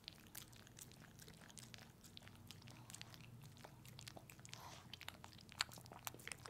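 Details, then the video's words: Pepe the dog licking peanut butter at close range in a small room, giving soft, scattered smacks and clicks, with one sharper snap near the end over quiet background hum. "Watch my dog eat peanut butter!"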